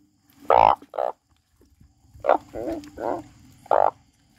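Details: A frog crying with loud, short, nasal croaks separated by softer buzzy, rattling notes, the calls coming in uneven clusters over a faint low hum.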